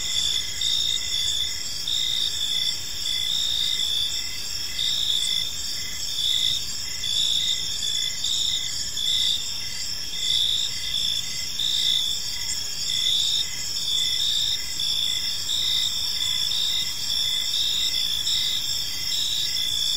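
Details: Cricket chorus in a quiet park as evening falls: sustained high ringing trills with regular pulsing chirps throughout, steady loudness, light background noise below.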